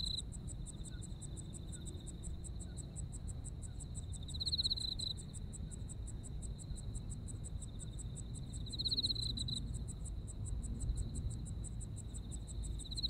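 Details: Insect voices of a Japanese autumn: fast, evenly pulsed high chirps run without pause while a second, louder trill swells briefly twice, about four seconds apart, above a low steady rumble.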